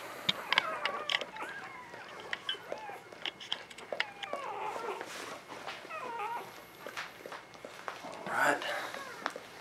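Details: Newborn puppies from Ava and Jericho's litter of eleven, spring 2017, squeaking while their mother nurses them indoors: thin, rising and falling whines overlapping in quick succession, with a man talking over them.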